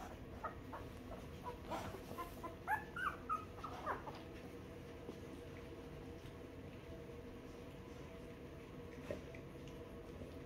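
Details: Two-week-old newborn puppies nursing on their mother, with soft high squeaky whimpers clustered in the middle, several short rising squeals in quick succession, then quiet with a faint background hiss.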